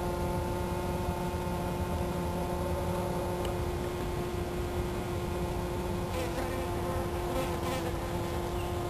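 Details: A black shield wasp (Vespa bicolor) hunting flies in Aberdeen Country Park, Hong Kong, gives a steady, low droning buzz from its beating wings.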